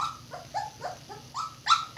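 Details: Red Standard Poodle pups two weeks old, litter of three boys and a girl born April 10, 2018, their eyes starting to open; a run of thin, wavering whimpers and squeals, about eight in two seconds, growing louder toward the end.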